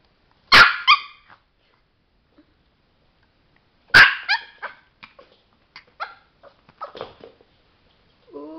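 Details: Sparky the Chihuahua, a pet dog doing tricks, lets out two high, sharp barks about three seconds apart, each trailing into a few quick softer yips and scuffling sounds.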